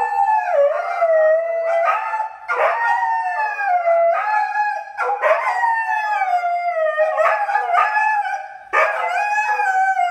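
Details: Pair of dogs howling together in the morning; long loud wavering howls overlap nonstop, each voice dipping and rising, with brief cracking breaks roughly every one to two seconds.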